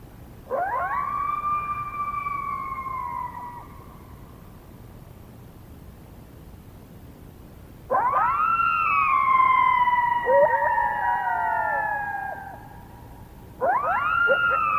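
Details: Coyote chorus at night in February, about 28 minutes before a nest incubation switch: loud rising then sliding howls with overlapping wavering voices, three bursts separated by quiet pauses.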